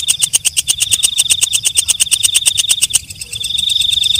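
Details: A walang kecek (night grasshopper) at night gives about three seconds of quick, evenly spaced ticks, then breaks into a thin, continuous high-pitched trill.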